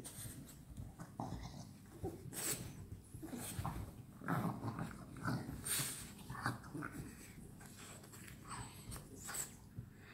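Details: French Bulldogs at play together at night, making low rumbling growls and snorting huffs in uneven bursts roughly once a second, with scuffling noises in a small room.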